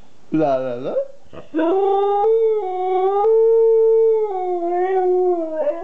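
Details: Vocal two-year-old Siberian Husky in conversation with its owner: a quick rising yip, then a smooth, sustained howl with slight dips in pitch, ending in a short upward inflection.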